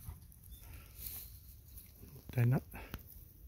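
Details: Golden Retriever on a first-thing-in-the-morning walk by rice paddies and a river gives a single short, deep, harmonic woof near the end; otherwise quiet, with faint outdoor hiss.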